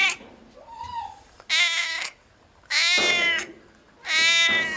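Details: Cat at a veterinary clinic calling repeatedly: a faint soft cry, then three loud, insistent meows roughly every one and a quarter seconds, each rising and then sliding down.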